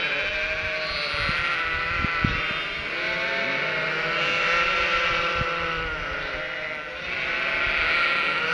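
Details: Cotswold sheep flock with three-week-old lambs bleating continuously, expecting the farmer with food and set off each time a car passes; many overlapping baas, high lamb calls mixed with deeper adult bleats, in the countryside.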